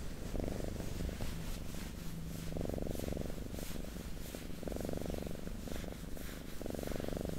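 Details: Purring domestic cat heard very close for ASMR, a rhythmic low buzzing rumble that grows louder about every two seconds on each breath, over a soft hiss.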